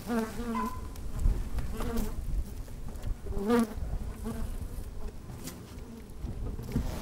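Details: Low, droning hum of honey bees moving about in an open hive on a sunny day, picked up from inside the hive; short buzzing swells come and go every second or two over rumbling background.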